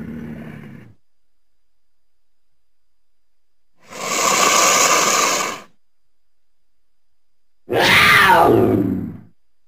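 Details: Mountain lion sounds: a brief low harmonic growl ending, then a steady, noisy hiss lasting about two seconds, followed by a harsh scream that sweeps downward before trailing off.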